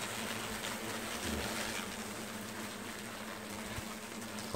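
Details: A hornet nest under removal, its swarm loud and agitated: a continuous droning buzz with a steady low hum beneath dense hiss, and a sharp knock at the very end.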